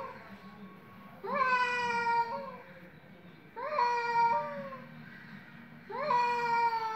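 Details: Threatening cat voices during a fight: three rising-then-falling moaning meows about every 2.4 seconds, each held over a second with a slight upward kink near the end, against low hum.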